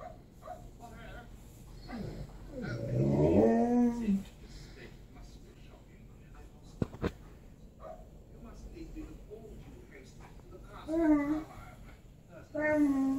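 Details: Tonka the Alaskan Malamute, a pet, vocalizes in bursts: a rising-and-falling woo-woo grumble near the start, then quieter short whines and yips later, with a brief clatter midway and low room noise.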